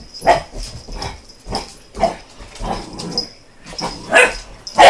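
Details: American Bulldog puppy reacting to a helicopter, giving rapid repeated barks, about seven in five seconds, over a steady high whine and background noise.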